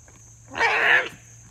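A goat gives one harsh, bright, half-second bleat over a faint steady hum.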